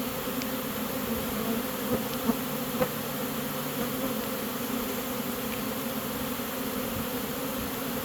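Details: Catching a honey bee swarm as the bees march into their chosen new home: a steady humming drone with distinct pitched bands, broken only by a few faint taps and clicks.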